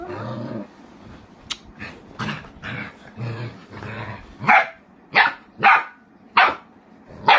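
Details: Boerboel (South African Mastiff) dogs living in Egypt: low growling grumbles first, then five loud deep barks spaced about a second apart, with a person urging them on.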